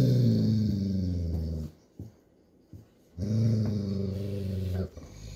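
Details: A Golden Retriever father gives two long, deep rumbling growls to tell his high-strung young puppy daughter playtime is over, normal parental discipline.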